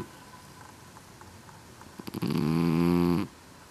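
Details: A single loud snore from Basil Farrow, a pet Scottish Fold kitten with folded ears, indoors: one low, buzzy, harmonic breath lasting about a second, after a few faint clicks and a quiet room.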